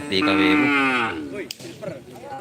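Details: Racing cattle at a karapan sapi bull race on Madura, East Java, Indonesia: a loud, strained moo lasting about a second and slightly falling, followed by a busy crowd and voices.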